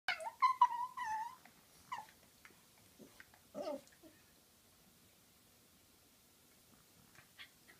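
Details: Female dog making a funny noise while playing and wrestling with another dog indoors: a burst of high, wavering whines and squeaky yelps in the first seconds, then faint scuffling and quiet.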